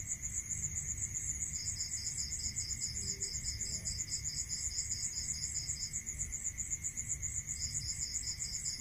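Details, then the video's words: Rural crickets at night, one keeping up an unbroken high beaded trill while another, a little lower, trills steadily for about four seconds, falls silent, then resumes near the end. A constant faint hum and low rumble lie beneath. "Listening to Cricket Sound"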